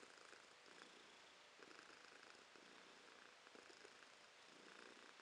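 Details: Cat called Romashka, recorded January 2023, giving a soft rolling purr with regular breath pulses roughly every second, low and steady, nothing else audible.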